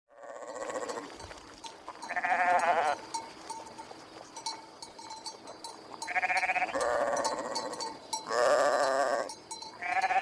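Sheep bleat in wavering, nasal bursts, several animals calling one after another.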